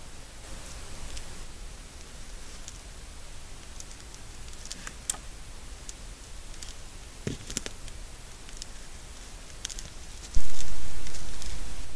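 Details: Outdoor rustling and scattered clicks over a low rumble, ending in a sudden loud thump, with no animal call.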